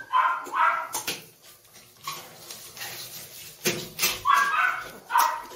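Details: Female and male Doberman puppies produce brief, high, whiny yelps in pairs at the opening and again near the end, separated by scuffling, clattering and a sharp knock.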